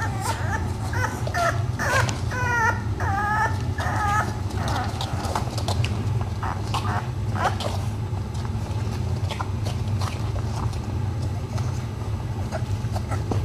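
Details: French Bulldog puppies, seven weeks old, giving high, harmonic whimpers and yelps in quick bursts through the first four seconds, then softer scattered squeaks and scuffling over a steady low rumble.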